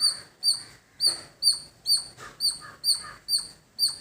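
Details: High, bright chip calls from a squirrel in a village, evenly spaced about twice a second, each with a quick falling tail; soft lower chirps of other birds between notes.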